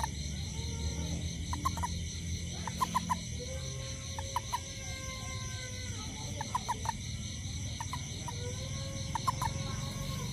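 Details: Toad after rain near a home, seeking ants: repeated brief bursts of three to five quick notes spaced a second or more apart, set against a steady high-pitched insect chorus and low rumble.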